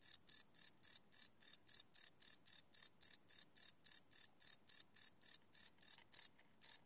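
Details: Crickets chirping at night, field-recorded live without loops: rapid, even series of shrill pulsed chirps, roughly three per second, stopping briefly near the end before one more chirp.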